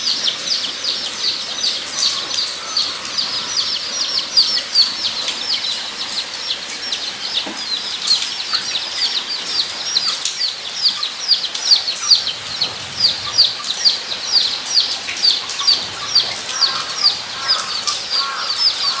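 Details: Guinea pigs at Nogeyama Zoo on 23 September 2012 give a chorus of high, thin squeaks, overlapping and repeated rapidly.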